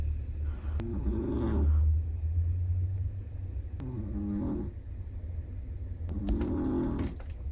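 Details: Black-and-tan long-coat Chihuahua asleep, giving three soft, throaty snores spaced roughly three seconds apart over a low rumbling background.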